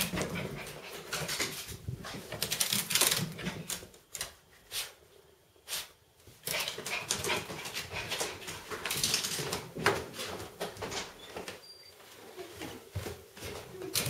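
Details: Foofy, a pet dog, goes crazy after her bath, giving excited whimpering and barking sounds in uneven bursts, mixed with loud rustling and scrabbling noises and brief quiet gaps.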